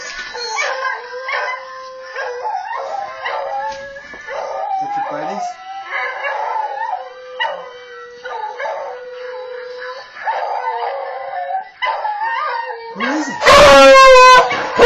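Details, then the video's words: A beagle howls in long, wavering, mournful tones, joining in with other beagles howling on a played video. "Seamus howling at other beagles howling.m4v"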